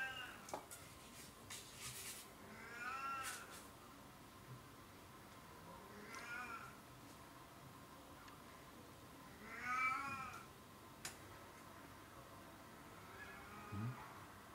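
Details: Oriental or Siamese cat giving four separate wavering meows, the third loudest, spaced three to four seconds apart, with occasional clicks and a constant low background hum.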